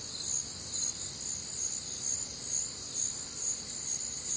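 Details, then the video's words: Crickets on a warm, humid Midwestern summer night among other nocturnal sounds, a dense high shimmering trill pulsing about twice a second in layered bands, steady and unbroken, no other voices standing out. "Night Time Cricket Sounds"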